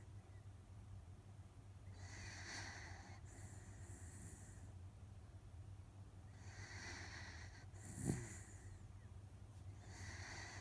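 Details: A sleeping Miniature Dachshund named Otofu, a rescue dog worn out and deep in sleep, gives long airy snores: three broad, hissy breaths spaced roughly four seconds apart, one brief thump between them, a low background hum throughout.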